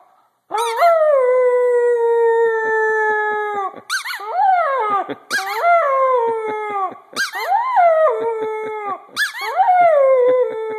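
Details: Vizsla puppy howling: five long drawn-out wails, each starting with a quick rising yelp then sliding slowly down and holding a steady tone, separated by short breaths and brief clicking sounds, about every two seconds after the first long howl.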